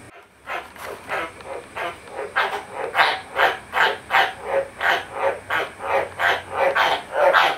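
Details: Pet White's tree frogs, kept together, calling while bathing: a long run of harsh, rasping croaks, roughly two to three each second, steady and insistent, with only faint background hiss behind them.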